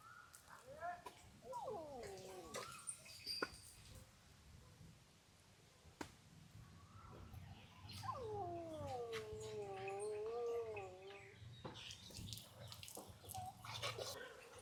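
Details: A dog in Thailand, named Chuen, bigger than another dog called Bua, whines in long wavering high-pitched cries, one near two seconds and a longer drawn-out one from eight to eleven seconds, with quiet speech and handling noises between.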